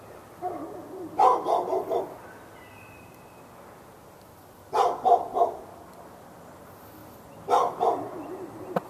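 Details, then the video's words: A dog in a Raleigh, North Carolina yard barks at the dog next door and other dogs within earshot, February 15, 2012. Three bursts of three or four rapid barks are spaced about three seconds apart, with quiet between. "Barking Insanity!"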